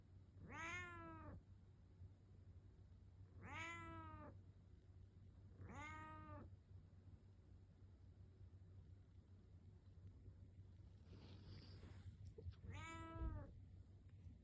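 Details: A house cat meows to wake its owner in the morning. Four long, wavering meows rise then fall, spaced a few seconds apart, with a faint rustle between them and a constant low hum behind.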